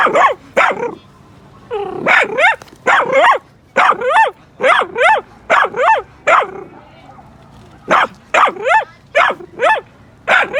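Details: Miniature Dachshund at home, one of two pet dachshunds, barking in reaction to dog voices on TV or outside; rapid sharp yelping barks in quick bursts of two or three, repeated throughout with brief quiet gaps.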